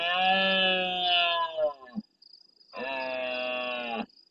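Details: Large red deer stag roaring at nightfall near a fixed live camera in the El Rocío marsh, Doñana National Park, Andalusia, Spain, answering distant stags: two long, rough, harmonic roars with a brief pause, over a steady pulsing cricket chorus.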